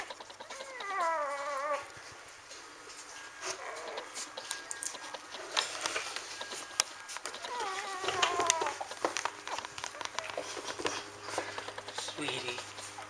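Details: Four-day-old Standard Poodle puppies give wavering, high whimpering cries in short bursts near the start and again midway. Steady clicking and rustling continue throughout, along with a low indoor hum.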